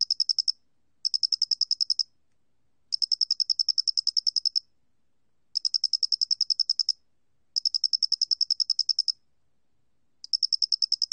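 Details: Chirping of a Loxoblemmus doenitzi cricket, recorded for the National Institute of Biological Resources in 2020. Shrill, rapid ticking trains of uneven length, some about a second and some nearly two, alternate with short pauses over a silent background.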